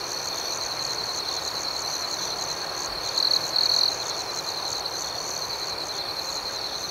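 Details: Night chorus of crickets outdoors, an unbroken high-pitched buzzing drone overlaid midway by two short, brighter trills from a nearer cricket, calm and steady throughout.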